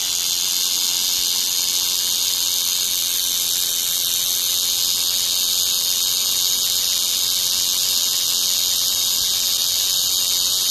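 A cicada sings a steady, high, shrill buzz that runs on without a break.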